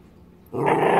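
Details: Dog giving a sudden harsh, rough growl that starts abruptly after quiet background noise and holds steady for about half a second.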